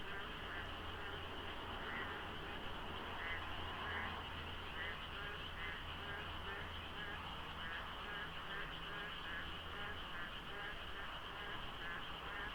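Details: Huge pre-dawn frog chorus at the Deokso interchange of a South Korean expressway in the rainy season, foggy with little traffic; countless overlapping croaks pulse rapidly and steadily, layered over a continuous high drone and faint low road noise.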